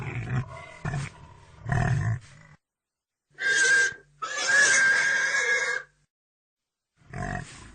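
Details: Pig grunting several times in low, rough pulses, then letting out a piercing, sustained squeal of almost two seconds, with a final grunt at the close.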